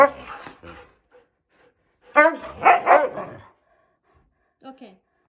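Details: A male Siberian husky gives wavering, talkative howls in three bursts when his owners come home, complaining at being left alone.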